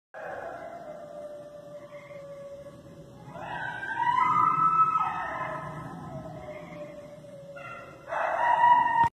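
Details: Coyotes in the Catskill Mountains howling just a few feet from a front door; long wavering tonal howls sliding up and down, rising sharply midway and again near the end, several voices overlapping.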